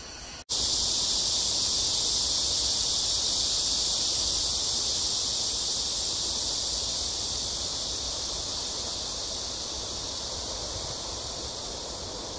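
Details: Cicadas in AMSA Ecological Park on the Han Riverside, Seoul, South Korea, on a hot early summer evening, 26 July 2021, between 6 and 7 p.m.; a dense, steady, high-pitched hissing buzz fills the air without pause after a brief break at the start.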